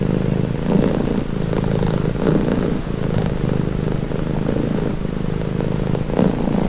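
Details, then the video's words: Soothing purr from a domestic cat, low and motor-like, pulsing gently in a breathing rhythm of roughly one cycle per second across the whole stretch. "Purring cat"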